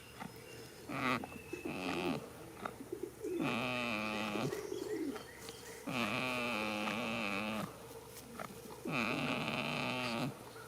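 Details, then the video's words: Goat snoring while asleep in a field on the first day of spring: drawn-out, nasal, harmonic moaning breaths about one and a half seconds long, returning every few seconds, with shorter rough grunts between them. "heres a goat snoring for 16 minutes"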